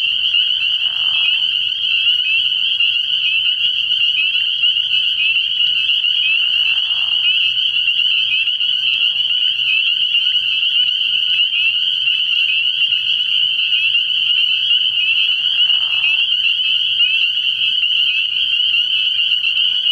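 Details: Spring peepers massed at a frog pond at night in early spring, their high-pitched peeps fused into a steady, ringing wall of sound, broken only by a few brief softer rustles.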